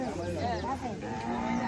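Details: Cattle at a cattle and goat market on the Dhanpati Khola Primary School grounds: a short, low lowing moo that rises briefly, heard over a babble of people talking nearby.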